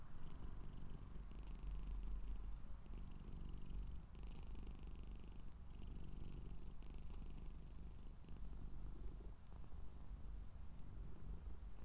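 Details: Scottish Straight cat purring close up: a low, steady rumble with rapid fine pulsing that runs unbroken for the whole stretch, quiet overall, with a faint soft hiss rising briefly near the end.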